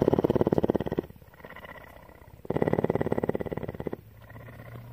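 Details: Purring captive cougar, a female mountain lion living at a rescue centre in Bridgeport, Texas. Two strong, buzzing, fast-pulsed phases of over a second each alternate with fainter rumbling stretches, like breathing in and out.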